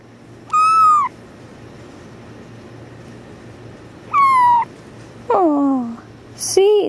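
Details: Tuxedo kitten named Badger protesting at being held, giving high, slightly falling meows, then a harsher, lower, downward-sliding cry and a final sharp squeal, with steady low hum behind.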